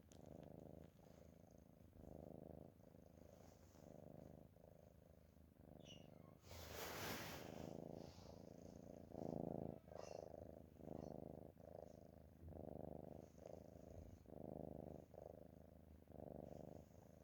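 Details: A dozing cat snores in a steady rhythm, each low, grainy rumble lasting under a second, repeated on and on, with a loud rustle midway and a few faint clicks.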